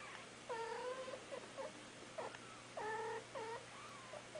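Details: Mother domestic cat making soft, comforting sounds to her kittens indoors, a sound she rarely used at other times; short trilled chirps with rising and falling tones, in three clusters, quiet room background.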